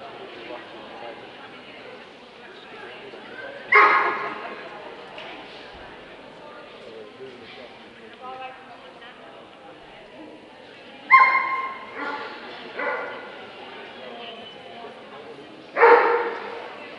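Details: Dobermann at the Scottish Dobermann Club championship show 2012, Limit Dog class: three sharp, loud single barks spaced several seconds apart over a steady background of people talking in an indoor show hall.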